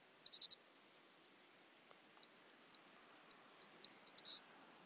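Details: Eastern banded grasshopper (Arcyptera microptera), Zalahalap, Hungary, 18 July 2022: a loud opening rasp, then a run of dry, high ticks that speed up and close in a long, loud buzzing rasp.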